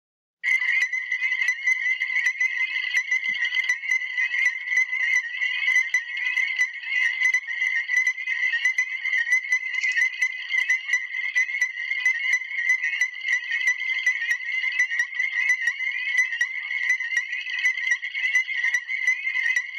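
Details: A dense chorus of Illinois chorus frogs, a species threatened in Illinois, begins after a brief silence. Piercing, clipped notes repeat several times a second and overlap in a steady wall of sound for the whole stretch.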